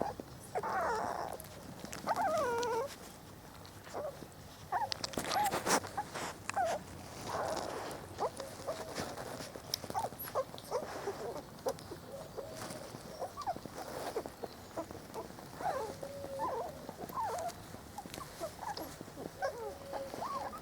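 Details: First day outdoors for Trella's four-week-old Spanish Water Dog puppies, whining and whimpering on and off amid clicks, rustles and handling noise in the garden.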